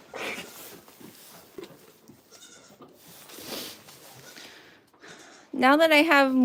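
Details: Goat on a farm giving one loud, wavering bleat near the end, with a quivering tremble through the note, after several seconds of quiet human talk in the background.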